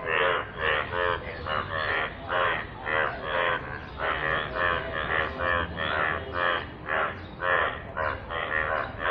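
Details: Chorus of yellow frogs in rainwater: loud, buzzy, harmonic croaks repeated about twice a second in overlapping bursts, several animals calling together over a low rumbling background.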